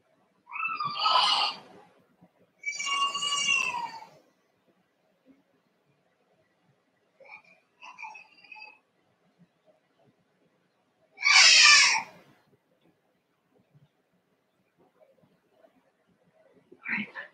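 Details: Cavalier King Charles Spaniel puppies, a litter of Ruby and Blenheim coats born 06/09/2022, on an overnight 8/27 puppy cam. High harmonic cries come in bursts about a second long, separated by near silence, with softer squeaks between.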